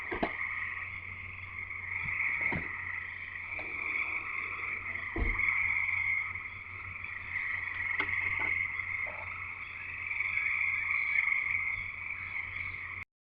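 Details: Frog chorus recorded at a house in Escanaba, Michigan: dense high trilling from many frogs, rising and falling in long swells, with a few sharp clicks and thuds from handling or movement close by.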